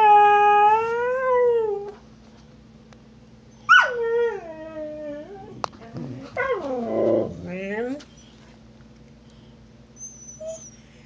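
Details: Snow the husky howls in protest because Trixie, an Australian Cattle Dog, took her bone. A wavering howl opens, then comes a falling wail and a rough, broken vocal burst, followed by quiet.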